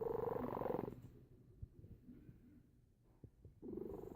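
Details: Snoring from a sleeping cat: a loud, breathy rasping breath at the start, a quiet pause, then another rasping breath near the end.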